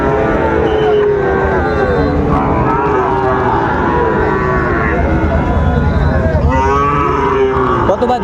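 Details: Sahiwal bull calves at Raniganj cattle market in Dinajpur, Bangladesh, on 2 May 2024: drawn-out, wavering lowing moos rise over busy crowd chatter and traders talking, with calls overlapping through the scene.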